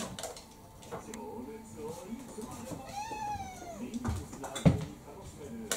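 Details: Kurumi, a roughly four-year-old ginger tabby mixed-breed house cat, pestering for dinner indoors: one drawn-out meow with a rising then falling arch, amid human speech, clatter and tapping noises.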